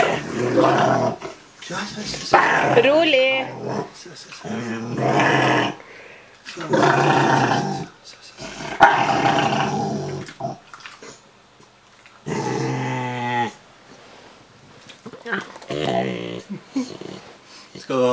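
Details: Ariel the Rottweiler talks while being cuddled: drawn-out grumbling moans with wavering, rising and falling whine-like tones come in bursts a few seconds apart, mixed with a person's soft Norwegian speech and background music.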